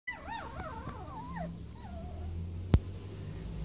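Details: Standard poodle puppies, 26 days old, born 13 May 2016 and filmed 7 June 2016, anxious on their first days in the garden: high, wavering whining cries that soon fade, with a steady low hum and one sharp click.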